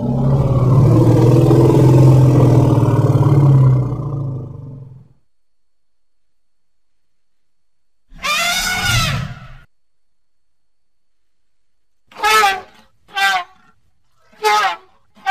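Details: Baby elephant playing in its natural surroundings: a long low rumbling call lasting several seconds, then a short harmonic hoot after a pause, followed by three brief sharp calls about a second apart.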